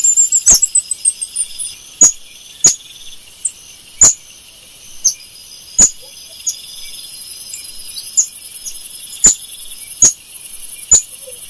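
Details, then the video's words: Golden lion tamarin screaming: a quick descending run of shrill, very high whistled notes opens, then scattered thin high whistles follow, with sharp clicks every second or two over a steady high hiss. "Som do mico leão dourado,mico leão dourado gritando"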